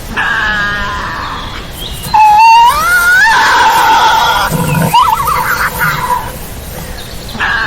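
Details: A harsh buzzy drone from a Tasmanian devil leads into a sharp rising wail, then a shaky, trilling scream that fades to rasping noise.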